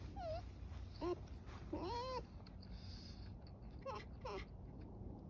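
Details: Pet red fox whining while begging for its owner's pear; thin, wavering, rising and falling whines in short bursts, several separate cries over about five seconds, in a small room with a faint background hum.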